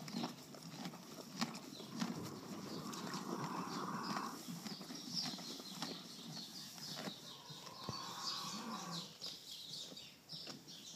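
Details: Off-track Thoroughbred mare born in 2006 with a severe roaring issue, after more than four weeks of steroids and antibiotics; harsh, droning tonal breath noises about a second long recur amid thumping, hoofbeat-like knocks and background rustle.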